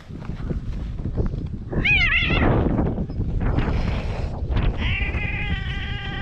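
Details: Stray cats mating on a cat island in Japan: a brief wavering, nasal wail, then after a pause a sustained, steady harmonic yowl that runs to the end, over constant low rumbling outdoor background noise.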